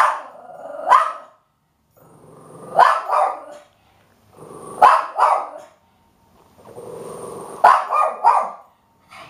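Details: Pet dog named Bandit barking in short double-pulsed bursts about every two seconds, each bark preceded by a low rumbling build-up, with a faint steady hum between barks.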